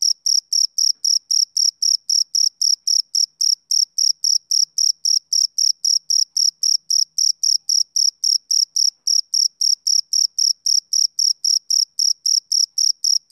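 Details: Summer-evening chirping of a male cricket, a long unbroken run of some fifty shrill, clipped pulses at nearly four per second, metronome-like and uniform in loudness, against total quiet.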